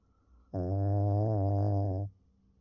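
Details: Sleeping Pekingese dog snoring; a single drawn-out, low, buzzy rumble lasting about one and a half seconds, steady and rich in overtones, rising from and falling back into near silence, with a faint thin high whine in the background.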